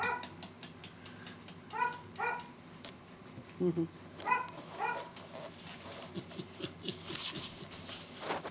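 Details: Young Samoyeds of the Snowstar Black Paw x Dolly litter, born December 25, 2013, letting out scattered short yips and squeaky barks among rustling, thumps and a human voice, growing noisier toward the end.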